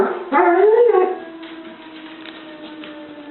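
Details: Molly the dog joins a tornado siren with a short wavering howl that rises and falls over about one second, then trails into a faint, steady tone.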